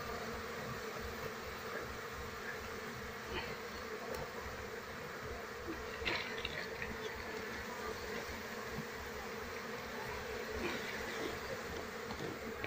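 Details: Continuous thick buzzing of a wild Apis cerana colony as beekeepers search for its queen before moving the bees; the hum holds steady for the whole stretch with faint clicks and handling noises.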